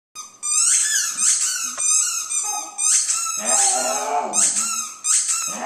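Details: Pet dog singing along indoors to her squeaky ball: short wavering howls interleaved with rapid, shrill rubber squeaks in quick bursts, the squeaking dominating a small room.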